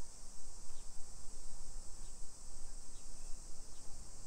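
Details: Summer cicadas droning in a hillside residential neighbourhood of Nisshin city, suburban Nagoya, Aichi, Japan, at 1 PM on 28 July 2021: a steady high buzzing hiss runs unbroken throughout, over low rumbling street noise and footsteps.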